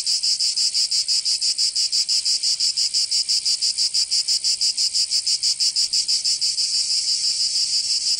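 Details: In southern France's Provence during summer, cicadas produce an intense high-pitched rasping buzz, rhythmically pulsed about three times each second, very even and sustained.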